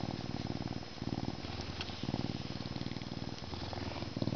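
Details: Captive male Canada lynx, humanized but not domesticated, born at a zoo in May 2011, purring as he is scratched before his meal; deep, rapid rhythmic rumble, about four pulses per second, in short steady runs.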